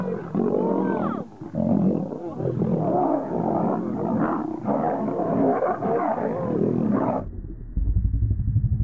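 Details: Male lion fighting a lioness: harsh, rasping snarls and roaring growls pour out almost without a break for about seven seconds. Then they cut off, leaving a short low rumbling noise at the end.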